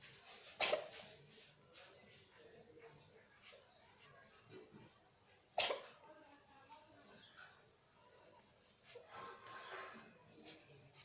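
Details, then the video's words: Sneezing from a pregnant cat, two abrupt breathy bursts about five seconds apart with quiet room noise between and faint scuffling near the end. "Funny Pregnant |Cats Sneezing"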